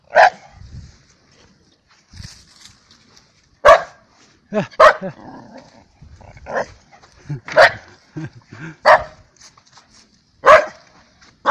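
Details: Rescue dog Daikichi playing at a dog run, barking loudly in short, sharp bursts at irregular intervals while people talk in the background.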